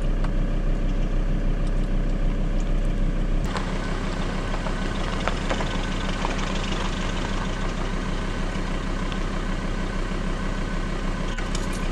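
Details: A vehicle engine idles steadily throughout, a dense low rumble with a sharper jolt near three and a half seconds; no animal voice is heard.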